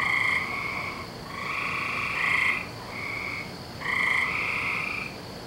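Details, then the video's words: Several frogs on a May night in 2012, their nightly calling season, give long, even, reedy trills one after another, the loudest bursts rising at intervals of about two seconds. "Season Of The Frogs"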